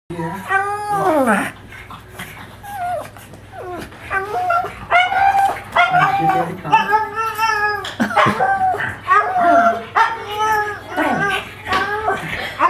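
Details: Pug reacting excitedly while watching himself on TV indoors, giving a run of wavering, harmonic howl-like whines that rise and fall, repeated every second or two, with people talking nearby.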